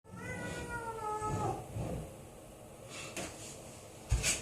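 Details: A rescued tortoiseshell kitten, three days after being taken in, meows just before its bath, having resisted and jumped about; one drawn-out, falling meow lasts about a second and a half, then soft rustling and a couple of knocks.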